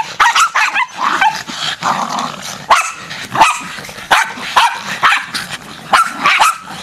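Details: Several feral Jack Russell terriers attacking as a pack, a chaotic riot of overlapping sharp barks, yips and growls, bursts crowding one another nearly continuously with brief gaps.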